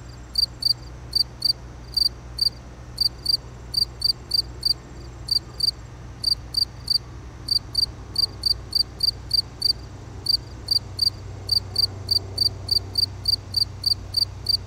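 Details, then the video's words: Persistent cricket chirps, crisp and high, grouped in little bursts separated by brief gaps, going on throughout against a soft low hum. "Cricket sound"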